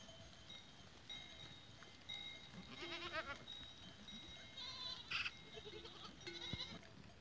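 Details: Goats filmed on 14 April 2023: a single wavering, quavering bleat rises around the third second, with several fainter bleats later, over steady ringing cowbell tones and a low rustling background.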